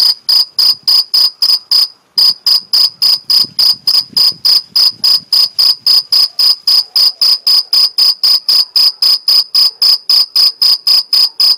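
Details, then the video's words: Mediterranean field cricket stridulating in the Algarve, Portugal: loud, high, ringing chirps repeated about four times a second in a steady pulse, with one short pause near the start, over a quiet background. "Cricket Chirping Sound Stridulation Grilo Cantando"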